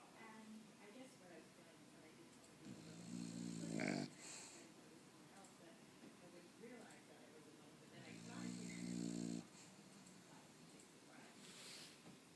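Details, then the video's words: Sleeping bulldog snoring indoors: two long, rattling, wheezy snores about five seconds apart, each rising to a loud throaty buzz, with quieter breathing snuffles between. "Snoring bully"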